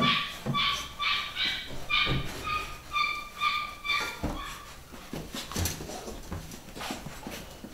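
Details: Pedigree Beagle pups, nine weeks old, from a new UK litter, giving a run of clear, squeaky yips roughly every half second for four seconds, then fading into scuffling and handling noises indoors.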